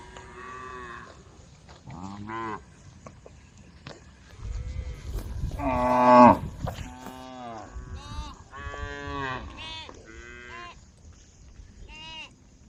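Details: Several cows roaming a road at a forest edge moo in turn, long harmonic bellows rising and falling, calling the herd together.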